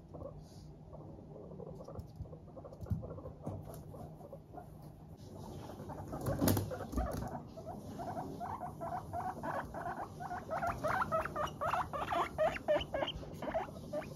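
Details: Cheerful Teddy and Abyssinian guinea pigs kept as pets, walking lightly and chattering; the rapid 'pupupu' pulses start sparse, then build into a quick, steady stream of short notes, several a second.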